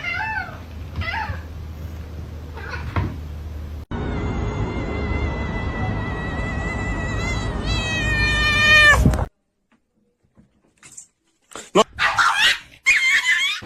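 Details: Cat letting out a prolonged wailing meow lasting about five seconds, holding steady and then climbing in pitch toward the end over a low background hum, with a few short, scattered cries after a pause.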